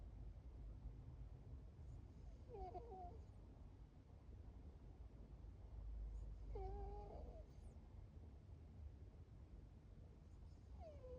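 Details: Sleeping foster cat snoring: three short, squeaky whistled snores about four seconds apart, each wavering and dipping in pitch, over a steady low background hum.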